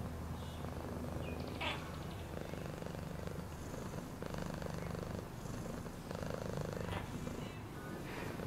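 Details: Domestic cat purring steadily, a low continuous rumbling vibration with regular pulsing, faint higher rustles and a brief soft squeak partway through.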